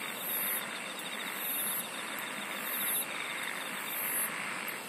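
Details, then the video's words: Insects sing in a layered chorus, with shrill high bursts about every 1.3 seconds, a fine rapid trill below them, and a constant dense buzz. "SINGING OF INSECTS"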